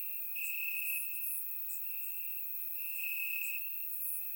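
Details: Crickets chirping in grass on a warm summer night in Bulgaria, recorded with a surround microphone: a steady high trill that swells in longer bursts, with fainter overlapping chirps and high buzzing insects above.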